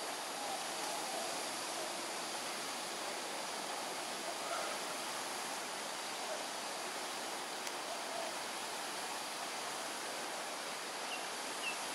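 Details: Only a steady broadband rush, like flowing water or distant traffic; no clear animal calls stand out.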